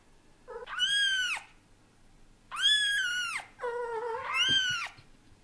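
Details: Indoor cats, with daddy cat Leo getting used to kittens: four loud, rich, arching meows, each rising then sliding down, the third lower and drawn out, about a second apart in a small room.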